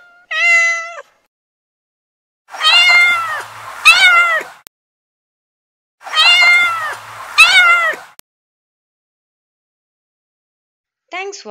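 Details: Kitten meowing in a series of high, wavering, harmonic-rich meows: a short one, then two pairs of longer drawn-out mews about three seconds apart, and a last rising mew, with silence between calls.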